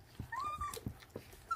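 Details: A 26-day-old feral puppy eating raw food gives a thin whine that rises and then holds a steady pitch. Soft clicking and chewing sounds are heard around it indoors.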